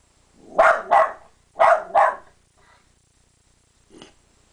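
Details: A West Highland White Terrier gives sharp barks in two quick pairs, then one faint yap, while looking out the window at dogs playing outside.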